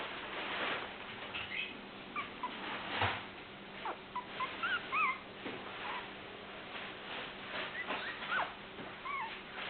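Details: Toy poodle puppies taking their first steps indoors give high, squeaky whimpers: short rising-and-falling whines scattered through the recording, several in quick pairs, over soft rustling and handling noise.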